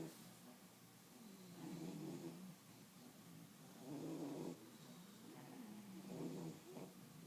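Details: Bulldogs dozing and relaxing, snoring steadily in a calm room, with soft wheezy rattling snores rising and fading about every two seconds, some buzzier and louder than others.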